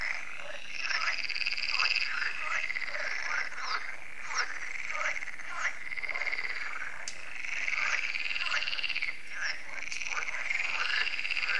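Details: Dense chorus of frogs at a lake in France (Lac de Sabatte), held every year and swelling after dark when the solar lights come on: overlapping trilling and croaking calls.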